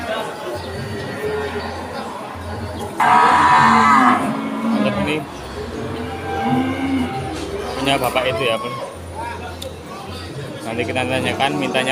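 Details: Cattle at the Pon cattle market in Ambarawa during Ramadan 2024, low moos mixed into market bustle, with background music, a loud burst of noise near the third second, and people talking and bargaining.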